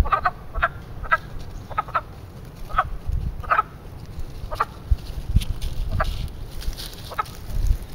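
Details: Spring chorus of frogs calling to mate at a small man-made backyard pond in Western Pennsylvania; brief clucking croaks, sometimes paired, sounding about once a second against steady low wind rumble.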